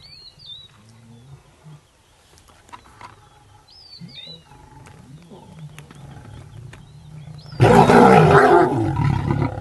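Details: Lions of a pride with a coalition male, feeding on a hippo in Maasai Mara's Paradise plains, Kenya, March 2023, break into a loud, deep group roar after dominant aggression, following thin bird whistles.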